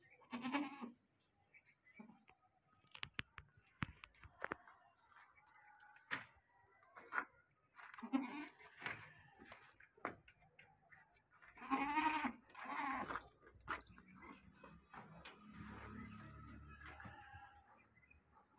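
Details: Goats on a farm; short wavering bleats at intervals, a strong one near the start, around eight seconds and a cluster near twelve seconds, with clattering knocks and background noise between.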